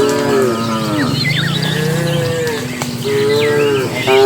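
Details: Herd of dozens of cattle entering the pen at evening, driven by a herder: continuous overlapping moos, one deep and low, others higher and drawn out, with brief bird chirps above.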